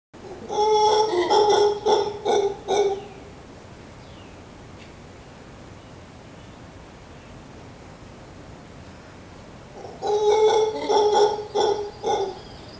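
A howler monkey gives two bouts of deep, hooting howls broken into quick pulses, with a quiet pause between.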